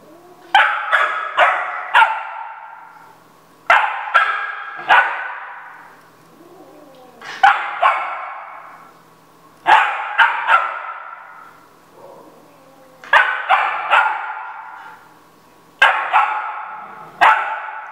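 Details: A Golden Retriever puppy barking at a cat gives sharp, high barks in quick bursts of three or four.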